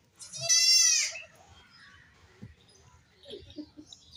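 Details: A baby goat playing and jumping lets out one tremulous, high bleat of under a second, followed by soft thumps and faint rustling.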